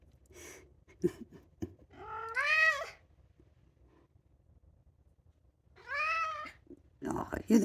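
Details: A two-year-old male polydactyl Maine Coon cat gives long, drawn-out meows that rise and fall, "singing" to go outside, with a person talking warmly between them.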